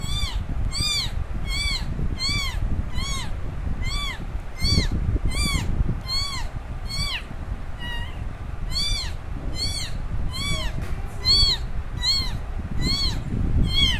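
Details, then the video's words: Young kitten crying loudly for its mother after she left it alone, a long run of high, bending meows repeated roughly every half second, steady and insistent, over low rumbling background noise. "Baby kitten meowing very loudly for mom that her mom took her away."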